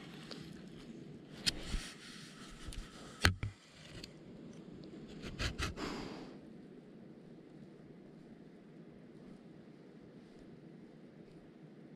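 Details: Scrapes, rustles and a few sharp knocks in a quiet indoor room over a low steady hum, fading to near silence after six seconds.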